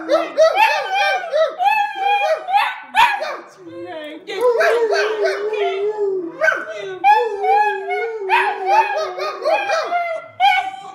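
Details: Rat terrier howling and yowling in rapid, wavering, rising and falling notes, with short yips and brief breaks, sustained across the whole stretch in a sing-song pattern.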